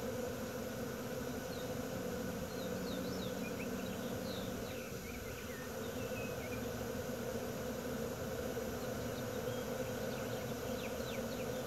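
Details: Bee swarm in Wisconsin in June 2016: a dense, steady droning hum from many insects holds throughout, with faint, brief chirps of small birds flickering high above it.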